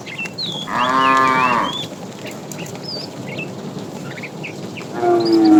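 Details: Fat cow calling the female while a herd of tame cows is driven in the afternoon: a loud, harmonic, steady moo lasting about a second, a second moo starting near the end, and thin bird chirps scattered in the background.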